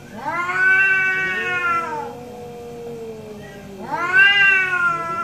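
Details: Pair of orange domestic cats in a morning back-and-forth; two long, harmonic meows with a lower, wavering answering call between them, low steady background.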